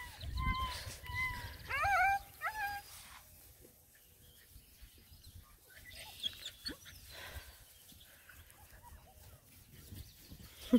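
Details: Seven-and-a-half-week-old Black and Tan Coonhound pups, nine of them, walking around a pond. A run of high, bending yelps and whines crowds the opening seconds, then quiet outdoor background with faint squeaks.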